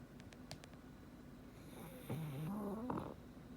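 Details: Black pug named Frank sleeping comfortably indoors, giving a single rising, whistling snore with a nasal rasp that swells for about a second, preceded by soft clicking sounds.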